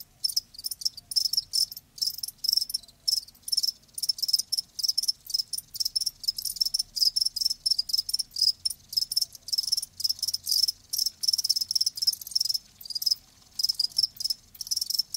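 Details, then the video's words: Chorus of live crickets, dense high-pitched pulsed chirping repeated rapidly and continuously, bursts closely spaced with only brief breaks, a soft low drone in the background. "Live Crickets 60min "Natural Sound""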